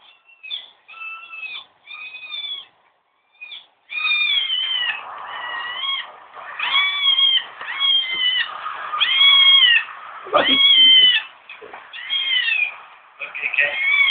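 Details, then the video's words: Kitten meowing repeatedly, short arched mews roughly every second or two, some with rising then falling pitch, a few brief pauses between bursts. "how come got kitten meow??"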